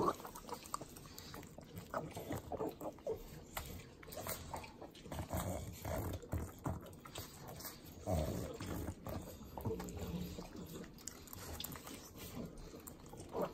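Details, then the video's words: Sloppy eating noises from three pet pugs licking butter, Southern California: steady wet smacking and lapping, with a heavier snuffling snort partway through, all very close. "Pugs Eating Butter - Calming Sounds of Sloppy Licking, Snorting"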